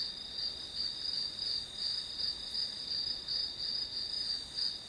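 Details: High, pulsing grass-insect chirps, spaced a little under three per second, sound over a steady shrill background hum; the rhythm swells and fades gently from pulse to pulse.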